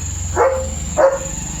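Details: Leo the German Shepherd gives two short barks, about half a second apart, while reacting to a tractor near the home; a low rumbling hum and a continuous high-pitched insect drone fill the background.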